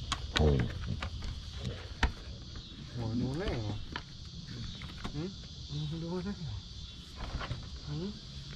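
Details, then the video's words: Basset Hound Mo greeting while playing with his sisters on a deck: low, moaning, harmonic yowls that rise and fall in several short bursts, with a steady insect hum and occasional knocks behind. "How Basset Hounds say Hello"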